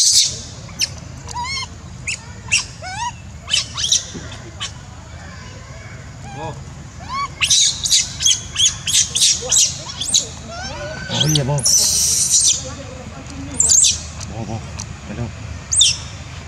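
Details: A distressed monkey cries in a run of shrill, high-pitched squeaks and wavering squeals, some in rapid bursts, with a brief harsh screech partway through and a low steady background hum.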